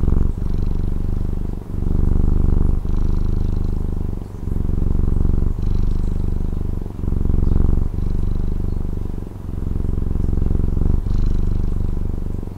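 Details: Domestic cat in Taiwan purring loudly and continuously, a deep rumbling drone that swells and dips with each breath roughly every one to one and a half seconds, with no other sounds.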